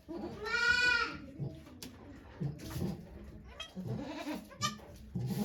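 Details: One sharp, vibrating goat bleat opens the scene at Yoshigake farm, Japan, on 3 May 2023 as Okayu delivers twin kids, followed by low shuffling and quiet human voices.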